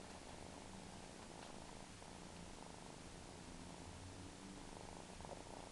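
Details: A domestic cat, described as a suckling kitty, purrs softly and continuously in a low, steady rumble. The purring stays even and quiet throughout against a faint background hiss.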